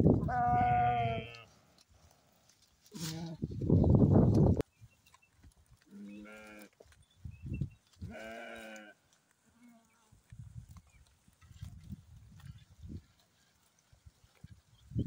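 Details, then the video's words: Sheep and lamb in the morning, bleating several times: a strong opening bleat, a burst of low rumbling, then shorter wavering bleats near six and eight seconds, followed by soft scattered thumps. "Sheep And Lamb Morning Sound | Best Lamb Voice"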